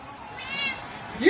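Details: Domestic cat in a home setting gives a brief, faint harmonic meow that arches up and falls away, followed at once by a sharper rising cry, with people talking nearby.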